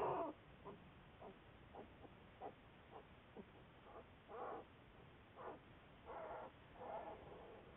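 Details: Juliet, an American black bear studied by Wildlife Research Institute researchers, recorded February 10, 2014: a series of short, breathy, huffing bursts, roughly a dozen in eight seconds, some briefer and some drawn out, over a quiet background.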